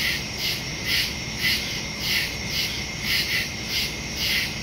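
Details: Nighttime woodland crickets captured on September 2, 2023 with a phone and Shure MV88+ stereo mic; bright high chirps pulse in an uneven rhythm above a constant high-pitched buzz.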